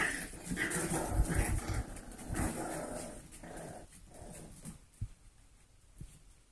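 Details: Four-week-old golden retriever mix foster puppies playing indoors; soft grumbling growls and whimpery sounds fill the first two and a half seconds, then fade into quieter shuffling with a couple of sharp taps.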